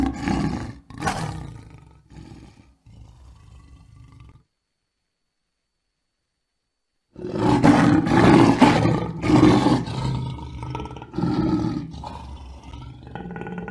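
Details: Lion roaring: short, choppy grunts that fade into a quiet low rumble, a silent gap, then a long, loud sequence of rough, pulsing roars that gradually tails off.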